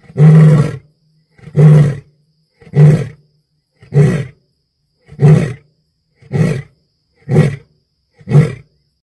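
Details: At night, an African lion gives a series of deep, rough, grunting roars, each about a second apart.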